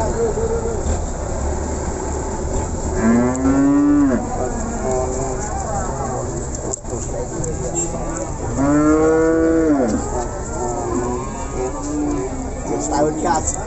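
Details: Simmental cattle at the Pon market in Ambarawa, lowing in two long drawn-out moos, each rising then falling over about a second and a half, several seconds apart, amid steady market hum, traffic and distant voices.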